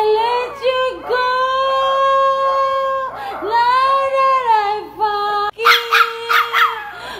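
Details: A Miniature Pinscher "sings" along as its owner sings the song "Broken Vow," howling in long, wavering, sustained notes that slide up and down in pitch.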